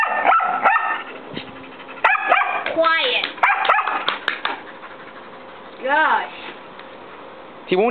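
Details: Trying to win a nine-year-old long-haired Chihuahua's attention, a white mixed-breed dog about one year old gives clipped, high barks in rapid clusters. Human voices and whiny, sliding vocal sounds mix in between the bursts.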